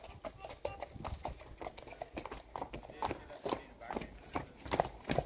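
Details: Friesian mares' hooves strike the ground in sharp, uneven clops, about two or three per second, with brief voices heard now and then.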